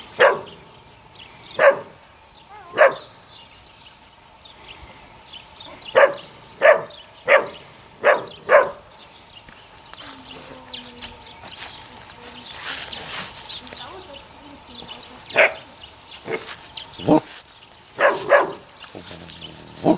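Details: Six puppies, 8 weeks old, offspring of the neighbour's dog Sunny, giving short sharp yapping barks in bursts, roughly a dozen across the stretch with quieter pauses and some faint background rustling between.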